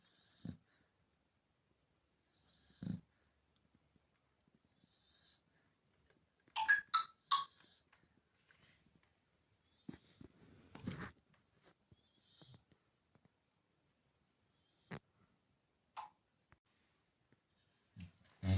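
A Chow Chow snores in short, rough, low bursts, with a woman speaking softly between them.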